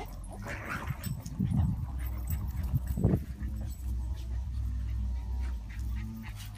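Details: A rescue Boston Terrier up for adoption in Florida makes low snuffling grunts and soft whimpers over a steady low hum.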